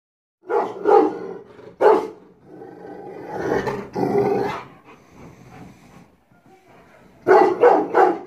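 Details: Rottweiler barking aggressively while guarding the house: bursts of deep, harsh barks in a quick cluster near the start, a rough growling stretch in the middle, then another rapid cluster of barks at the end.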